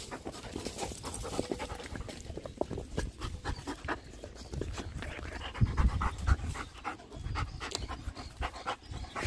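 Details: Bernese Mountain Dog panting: a steady run of soft, breathy, noisy puffs with low rumbling underneath, while a person talks quietly nearby.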